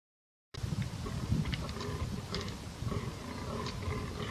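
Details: Fallow deer (Dama dama) bucks fighting give deep, rumbling grunts, with faint sharp clicks above and steady background noise.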